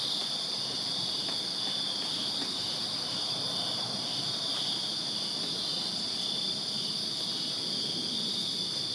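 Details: Backyard crickets on a Virginia summer night keep up an unbroken, shrill trilling chorus, several overlapping callers blending into a constant high buzz with a fainter upper band, soft low background hum throughout.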